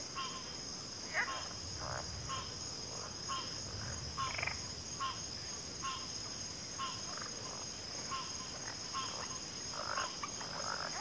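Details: Frogs calling together in a chorus, short sharp notes spaced about every half second to second with a few longer rasping calls, set against a constant high shrill drone and faint low rumble.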